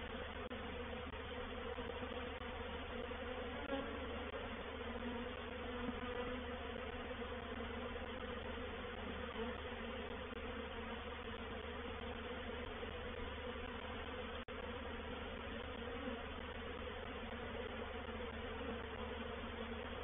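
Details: Steady, thick buzzing of a honey bee reproductive swarm settling into a bait hive at Painted Peacock Manor on 4 July 2021, unbroken hum with faint fluctuations and one small click.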